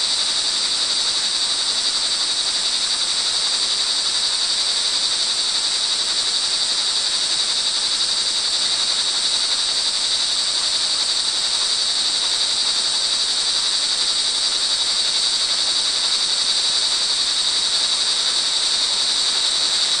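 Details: Steady, piercing trill of crickets in the rain at early evening, recorded June 24, 2011, in Montalban, Rizal, Philippines; the shrill chorus never pauses, layered over a constant wash of rainfall.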